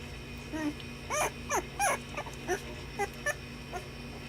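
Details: Puppies at play give a run of about eight short, high whining yelps and whimpers, some sliding downward, spread over four seconds against a steady low electrical hum.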